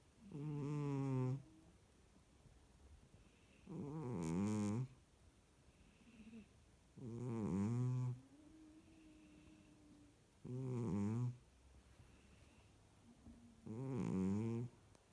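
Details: Sphynx cat. A Sphynx cat snores with low, rattling breaths that come in a slow, regular rhythm about every three seconds. Quieter whistling breaths fill some of the gaps between the louder snores.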